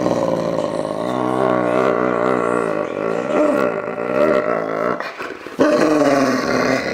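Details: Male Boxer dog growling steadily at home, a continuous harmonic rumble that wavers and rises in pitch in waves, with brief breaks near the end and faint human voices around it.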